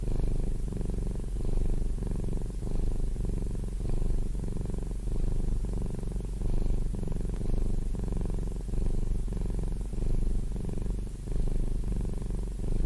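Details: House cat giving a continuous low rumbling purr, loud and near, pulsing in breath cycles a little over a second apart for the whole stretch.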